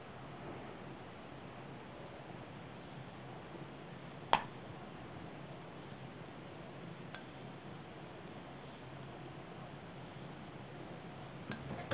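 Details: A quiet indoor room hums softly, broken by a few faint clicks and clinks and no animal voice.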